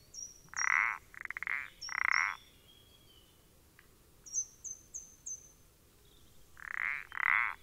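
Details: Common parsley frog (Pelodytes punctatus), 14 April 2020, giving loud grating croaks in a quick run of three, a pause, then two more, while a series of high thin chirps sounds in the background.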